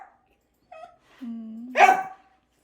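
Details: Annoyed indoor Dachshund, upset because its food is too hot, making a soft short whimper, a low steady drawn-out grumble, then one loud harsh bark.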